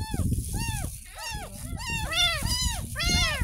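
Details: Kitten about ten days old, rescued from a drain outside the house, meowing through its first ever bath; six or so rising-falling mews in quick succession over low splashing and rustling.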